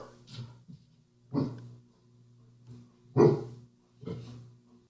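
A domestic dog gives short, sharp alarm woofs spaced about a second or two apart, with breathing between.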